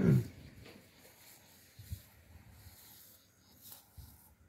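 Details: A young male lion in Kruger National Park gives a deep, brief moaning grunt as a contact call, followed by fainter low rumbles.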